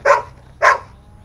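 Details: Belgian Malinois in the Philippines during obedience training, right after the command "alert": two sharp, loud barks about half a second apart, each short and bright, with quiet background and a trainer calling commands nearby.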